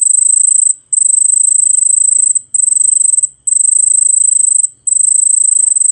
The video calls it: CICADA. ചീവീട്